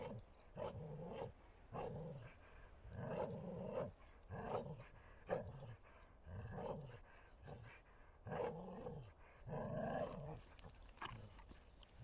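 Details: Bull Terrier named Martin at play in the forest, growling in steady rhythmic bursts roughly every half second to second, low rumbling tones with brighter harsh overtones, broken by brief pauses.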